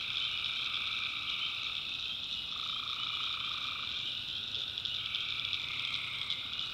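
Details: Night chorus of tree frogs in a North Carolina backwoods swamp: continuous shrill trilling from many callers, and a mid-pitched voice that swells for about a second around the middle before easing back into the steady wall of sound.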